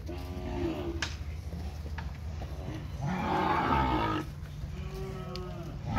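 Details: Seven steers penned for sale at a cattle auction in Araçatuba, São Paulo state, Brazil, on the afternoon of Thursday 11 March 2021. A harmonic lowing moo lasts about a second amid constant low droning hum, clattering noises and a Portuguese-speaking man.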